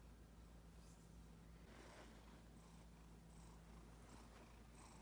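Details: Pet cat, female, purring as she snuggles up to a person's leg; a continuous low droning purr throughout, with a few light rustles and faint high ticks in the background.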